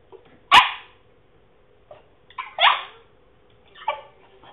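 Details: French Bulldog, a male, attempting to bark with comical results: a sharp single woof, then a choppy, hoarse double bark and a fainter strained yelp, spaced roughly every one to two seconds, steady hum underneath.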